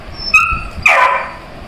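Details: Labrador puppy searching for food, giving a brief thin whine-like tone and then one loud, sharp, noisy yip that fades quickly, in a quiet room.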